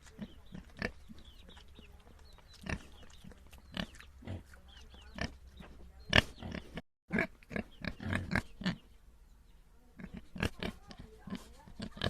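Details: Pigs, domestic or wild, grunting on a farm: scattered short, deep, gruff pulses, separated by pauses, with a busier cluster of grunts around the eighth second and a brief dropout before it.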